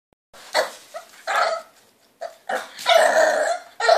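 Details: French Bulldog puppy named Cleo, three months old, barking impatiently indoors because she wants the hand brush; short harmonic yelps and barks in bursts, some drawn out, with quiet gaps between.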